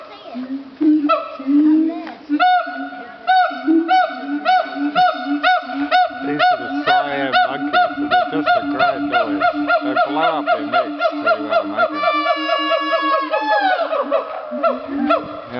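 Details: Captive siamang apes at Dubbo Zoo screaming, apparently not wanting visitors around: a long series of loud rising hooting whoops, repeated rapidly and accelerating into rhythmic barking notes, with a final rising scream and people laughing.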